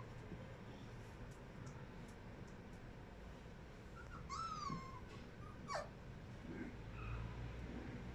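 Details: Charlie, a Siberian Husky puppy, gives a high thin whine that slides downward over half a second, then a single sharp falling yelp; otherwise quiet with a steady low rumble underneath.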